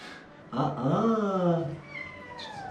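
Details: White kitten, aggressive at a veterinary clinic while having blood drawn and being vaccinated. It gives one loud, drawn-out, harmonic-rich yowl that wavers and falls over about a second. A man talks around it in Turkish indoors.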